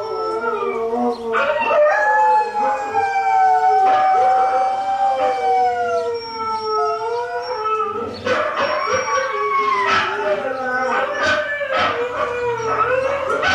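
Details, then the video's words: Howling chorus as Hailey, a pet dog, joins recorded huskies: sustained, quavering howls layered in several pitches, each lasting a few seconds, rising and falling, with short yips near the end. "Hailey Howls to YouTube"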